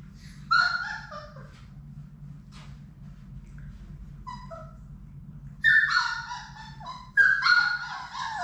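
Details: Labrador Retriever puppies, part of Sadie's litter of six, playing together in their indoor play room: three bursts of high, harmonic whining yelps that rise and fall, with quiet gaps between and a low steady hum underneath.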